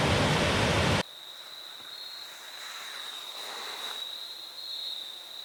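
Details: Crickets along the Foothills Trail, recorded in fall 2022 on the third day of a thru hike, give a steady, unbroken high-pitched trill at one even pitch. A second of loud rushing water comes first, then cuts away.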